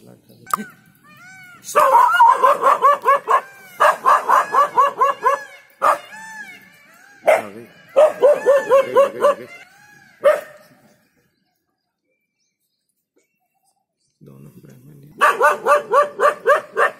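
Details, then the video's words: Dog in Jhalana barking off an inexperienced leopard; quick runs of barks separated by pauses and a silent stretch, with human voices talking in between. "Leopard Vs Dog - scaredy cat leopard loses as dog barks it off!"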